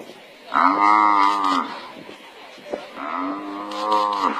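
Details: A wild African buffalo under attack by a pride of lions, being bitten at its worst wound, gives two long, hoarse, moaning bellows, each about a second long and slightly falling at the end, separated by a pause with a sharp click.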